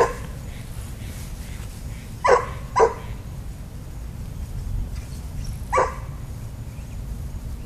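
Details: Pet dog Daisy at a park fence line, thrilled at the dogs on the little dog side, lets out two quick barks close together, then a single bark three seconds later over steady low outdoor noise.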